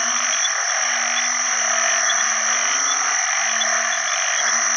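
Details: At the onset of the rainy season, after heavy rain, banded bullfrogs call to attract mates beside other frogs; deep, buzzy one-second croaks follow one another, overlapping, beneath a constant high-pitched insect and frog chorus.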